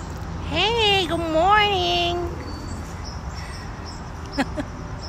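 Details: Pet ginger cat called Gingeroo gives two drawn-out tonal meows: the first rises and then falls, and the second wavers before trailing off. Afterwards there are faint clicks over a steady low background hum.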